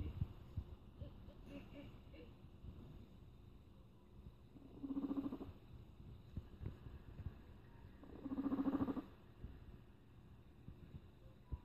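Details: Rat growling to tokusatsu background music: two rough, hoarse bursts about a second long, near five and eight and a half seconds, with quiet stretches and faint music between.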